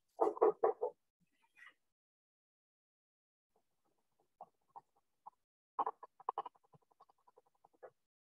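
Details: Leopard frog song: a burst of low, grating snore-like pulses, then scattered soft clucking chuckles, with spring peepers calling in the background.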